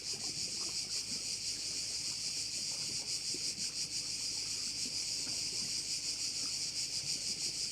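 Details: Crickets at one of the bays of Korčula, Croatia: a dense, shrill, hissing chorus pulsing about three times a second, steady throughout, with a faint low rumble and soft wind underneath.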